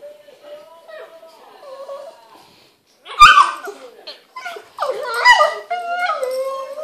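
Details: Pet Boston Terrier playing with a Pug indoors, making weird noises: quiet wavering whines, then a loud sharp yelp, followed by rising and falling squealing whines.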